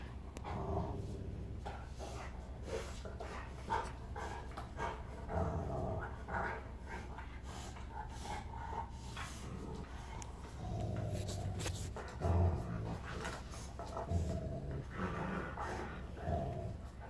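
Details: A huge Rottweiler, Zeus, plays with the Rottweiler puppy Kiya; steady low rumbling growls run through the romp, with scuffling thumps and bursts of broadband rustling, and louder surges near the middle and end.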